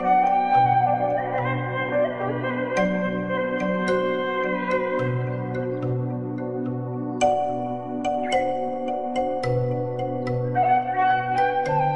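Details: Background music only, with sustained sliding guitar-like tones over a steady low bass line and bright plucked notes, and no cattle voices audible.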